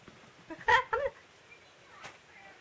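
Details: White house cat Tama, indoors, crying out in anger at her owner after chasing her beloved tabby housemate Choco, who ran away; two short, harmonic, strained cries about a quarter second apart in a quiet room.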